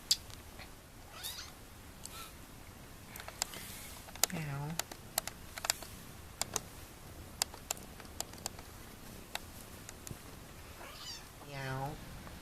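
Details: A kitten gives two drawn-out, wavering meows against sharp clicks and tapping, while a person meows back at her.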